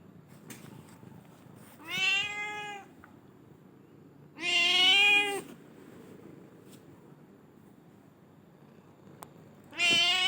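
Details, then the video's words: A black-and-white cat meows three times, spaced widely apart. Each meow is a drawn-out, harmonic call lasting about a second and holding fairly steady in pitch, with quiet room hiss between them. "cute cat"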